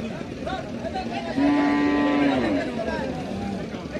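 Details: Young calf lowing once, a level, sustained moo of about one second, fairly low and even in pitch, over faint background noise.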